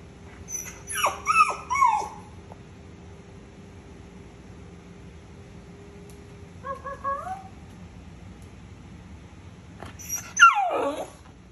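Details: Keeshond talking in short, separated bursts: two sliding whiny yelps, a long quiet gap, a soft wavering moan, then a loud, steeply falling howl-like whine at the end, with a faint steady hum throughout.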